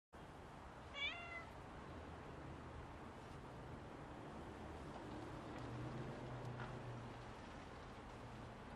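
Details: Stray calico-and-white tabby cat, with a leaf resting on its head, gives one short harmonic meow near the start, then quiet outdoor background with a low steady hum.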